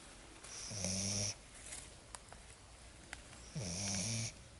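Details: Sleeping Lagotto Romagnolo puppy Lexa, worn out after her first forest walk, gives two long buzzy snores roughly three seconds apart, each a low droning rasp with a breathy hiss, small ticks in the quiet between.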